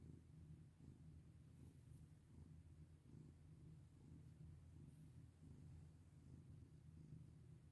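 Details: Pet cat being stroked, purring in an even low rumble that rises and falls with each breath, quiet and steady throughout with no other sounds.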